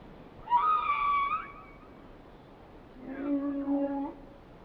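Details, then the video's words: Two harmonic whale song units separated by a pause: a higher wavering cry first, then a lower steady moan with stacked overtones, against quiet background hiss. "Song of the Whales"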